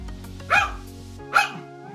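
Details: A female Pomeranian, about 14 years old, who never learned to bark, gives two short, cat-like meows over soft background music.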